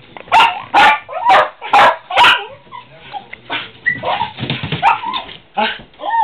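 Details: Household dogs barking at squirrels in a rapid run of five strong barks, then a looser mix of softer yelps and high whiny notes.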